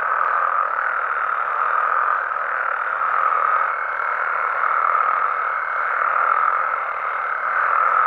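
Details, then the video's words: Mexican frogs and toads chorusing at night in their natural surroundings: continuous dense croaking with slow waves of intensity and a faint thin tone drifting through the middle. "Mexican Frogs & Toads Sounds"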